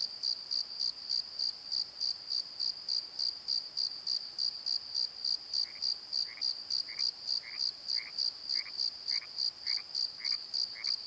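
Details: Crickets chirping at night in a valley bottom at the Pozo Night Tree, high pulses about three and a half per second; after five seconds a lower, upslurred call joins, repeating about every half second.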